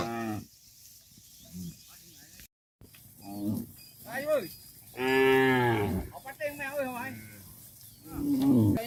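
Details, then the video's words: Dozens of tame cattle being herded back to a farm pen, giving a series of moos: deep harmonic lows, a long loud drawn-out bellow midway, and wavering higher-pitched calls between them, with a brief silent cut early on. "Funny Cow Sounds"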